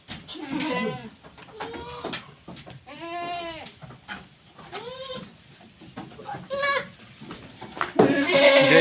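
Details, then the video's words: Jawa Randu goats kept for breeding, fed green fodder and pakchong grass, give several short wavering bleats spaced about a second apart, with a louder burst of noise near the end. "breding kambing Jawa randu"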